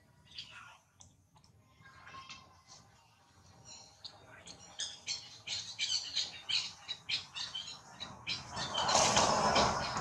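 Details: Monkey mother Rose raises her hand and calls her baby Rex to come back. A quick run of short, high, squeaky chirps repeats in a steady beat and grows louder, ending in a broad rustling burst.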